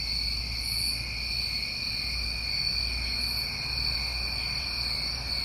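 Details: Night chorus of New England summer crickets, constant high ringing trills layered in bands, occasional higher chirps near 0.8 and 3.3 seconds, with a noticeable low rumble underneath.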